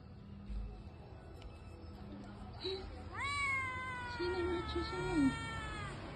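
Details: A village kitten whose mother has not come home gives a long, high, rising, sad meow, calling out and searching for her.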